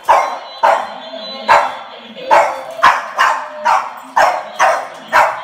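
A Boston Terrier gives a run of short, punchy barks, each a sharp burst that fades quickly. They come in a steady but slightly uneven rhythm, about two per second.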